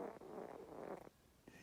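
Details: Deep in her nap, the house cat Darma gives a short, rough, rattling snore. It is a dense, buzzy breath, followed by a brief pause and a softer second breath.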